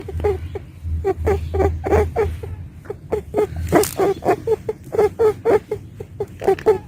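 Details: A female pet rabbit makes quick, soft, nasal squeaks and grunts, several each second, over a low hum, with people laughing.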